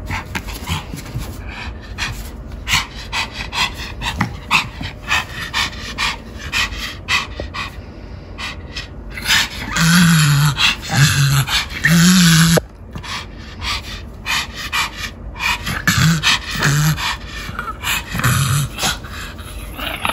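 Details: Pomeranian at play with a ball, also trimmed at home: steady rapid panting runs throughout, broken mid-way by a few short, low whimper-like tones before the huffing breaths resume.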